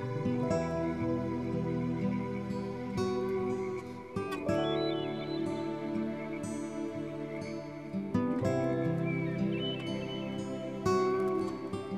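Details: Gentle new-age music of plucked guitar and sustained tones, with no animal call.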